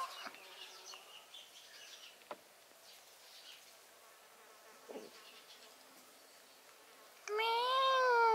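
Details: Pet cat gives a single sudden, loud meow at the very end, its pitch wavering up and down, following a long stretch of quiet indoor background with occasional soft knocks and rustles.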